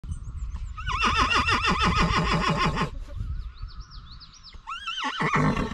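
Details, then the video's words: Percheron draft horse, a working mare, neighing during a training session: a long, loud, quavering whinny of rapidly repeated wavering pulses lasting about two seconds, then a shorter rising whinny near the end. "Mable neighs during a training session!"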